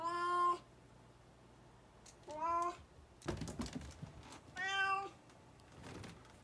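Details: Chattering brown tabby Choco, lively again after a recent cold, lets out three clear meows over six seconds: a long one, a shorter one, then another long one, with a dull thump between the second and third.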